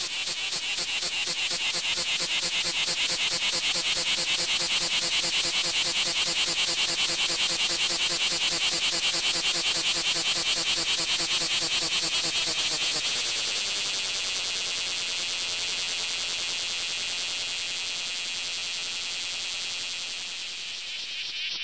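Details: Bear cicada singing in Japan: loud rapid pulsed buzzing, fast regular chirps repeating over a high shrill band, then after about thirteen seconds the pulses smooth into a softer steady hiss that fades at the end.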